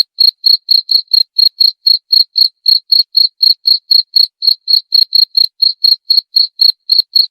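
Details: Rapid even cricket chirping, four pulses a second without a break, in a recording meant to repel rats; clean background with no other noise.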